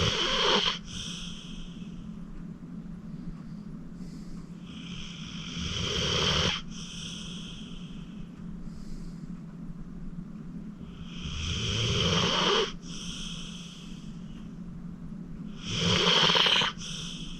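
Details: Acorn, a 14-year-old rescued senior pit bull adopted from the Cuyahoga County Animal Shelter, a deep sleeper, snoring at rest; breathy, wheezy snores swell roughly every five seconds, with a steady low hum underneath.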